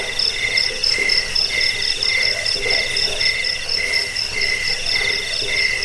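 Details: Cricket (jangkik) chorus, played to drive away rats and train birds: shrill, pulsed chirps stacked in high bands, several callers overlapping in steady trains with no pauses, plus a faint lower murmur beneath.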